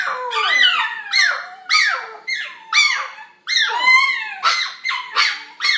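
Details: Gizmo, a pet puppy, howling indoors: high, squeaky yelping howls that rise and fall, repeated roughly every half second to second in a steady run.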